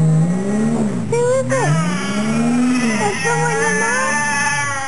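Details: Lassie, a 9-10-year-old female Fox Terrier cross, talks to her owner in drawn-out, wavering whines that rise and fall in pitch, while a car engine revs and rumbles low nearby.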